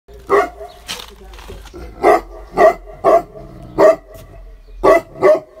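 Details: Tibetan Mastiff dog barking at nothing, giving deep single barks roughly every second or so, with gaps between, and a person briefly telling it to stop.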